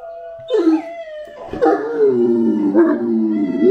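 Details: Anúbis, a Great Dane, breaks from a soft tone into a wavering howl that sinks and then holds long and low, with a slight rise at the end.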